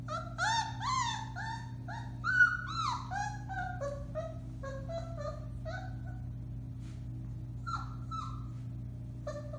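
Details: Alaskan Malamute puppies of the Bema and Cole litter, four weeks old, howling on March 30, 2021: a run of quick overlapping high yelps and wavering howls, loud at first then thinning into scattered cries, steady low hum underneath.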